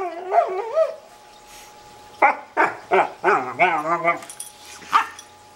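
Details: German Shorthaired Pointer pet, with an Australian Cattle Dog in the household, producing funny noises: a bending yelp-like whine, then a quick run of short, clipped barking grunts and wavering whimpers, ending in one sharp yip.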